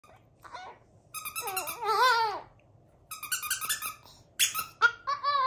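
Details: A tiny Chihuahua indoors in a small room, singing in short bursts of squeaky, wavering, yodel-like whines that bend up and down, broken by brief pauses.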